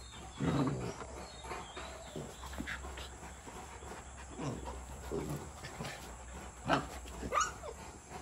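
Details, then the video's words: Brief low growls from a 62-day-old Rottweiler pup tussling with its mother Brownie, a black-and-tan female born in Sri Lanka; one gruff burst near the start, later scuffles, with sharp high chirping sounds and constant background hum. "62 Days Old #rottweiler Puppy Fight with Rottweiler Mom"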